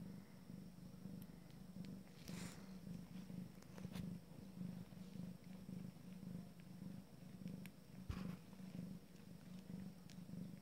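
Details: Abyssinian cat purring during a first litter's first family meal: a steady low rumbling buzz that swells and fades in a regular rhythm, with a few faint clicks and soft noises above it.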